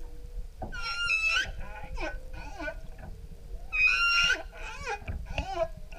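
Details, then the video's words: Humpback whale song off Maui, Hawaii, heard from an outrigger canoe: two bright, rich squealing bursts about three seconds apart, each followed by shorter sliding moans and grunts, with a faint low steady tone beneath. "Humpback Whales Song Maui"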